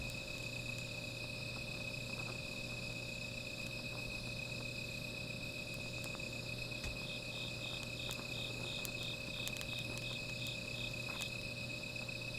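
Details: Night insects beside a small fire keep up a steady high trilling, with a brief pulsed trill breaking in partway through.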